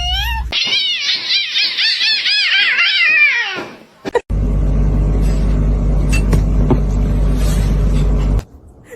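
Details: Domestic cat calling indoors, a loud, wavering, repeated meowing yowl with rising and falling pitch lasting about three seconds, followed by steady low rumbling background noise.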